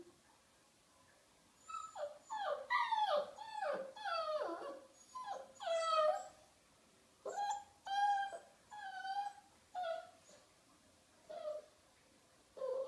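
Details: Charlie, a female Small Munsterlander puppy, vocalizing during her owner's bath indoors in a small room: a run of high, bending whines and yelps with rising and falling harmonic tones, in bursts separated by short pauses.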